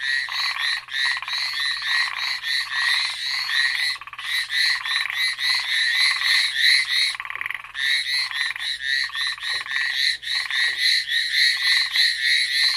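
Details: Frogs on Amami Island, listed as ornate narrow-mouthed frogs and Hallowell's tree frogs, call in a dense chorus of rapid, rasping pulses repeated several times a second; a brown hawk owl is also listed.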